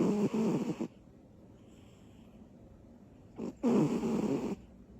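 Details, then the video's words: Little female cat Butters snoring in her sleep after energy bursts; two long, raspy, buzzing snores about a second each, separated by a quiet pause of over two seconds. "Little cat. Big snores."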